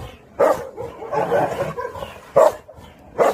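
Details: Pungsan dog barking as an outside dog joins a Pungsan kennel and rank is settled; sharp single barks near the start, two seconds later and again at the end, with softer grumbling between.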